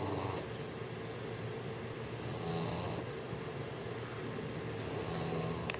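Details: Young English bulldog, six months old, snoring while trying to sleep; three rasping, airy snores spaced about two and a half seconds apart against a steady background hum.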